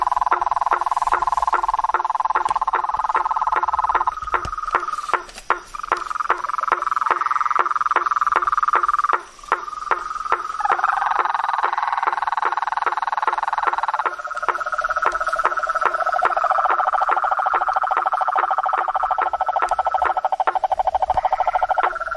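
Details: Nighttime swamp chorus with blacksmith tree frogs giving rapid, irregular metallic knocks, roughly three per second, layered over continuous humming tones from many other frogs or insects.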